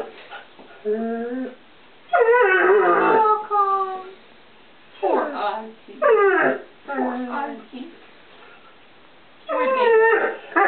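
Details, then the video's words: Ozzy, a one-year-old English Setter puppy, begs for hidden treats in a kitchen with short rising and falling whines and yelps in bursts every few seconds, mixed with a woman's voice. "English Setter puppy sings for his supper"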